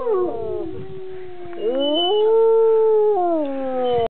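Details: Domestic dog joining its owner in a howl, giving a sustained, wavering cry that dips, then climbs and holds steady before tailing off, with the human voice blending in.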